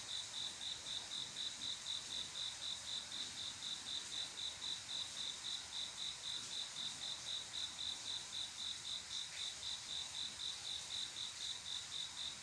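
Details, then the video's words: Crickets at midnight in summer, the males' mating call to females: a sharp, tinny chirp ticking along at a steady four beats per second, with light background insect noise throughout. "조용한여름밤 귀뚜라미소리"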